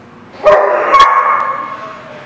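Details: Dog at a barking lot, recorded 6 January 2017: a single loud, drawn-out bark or yelp, tonal and slowly fading over about two seconds.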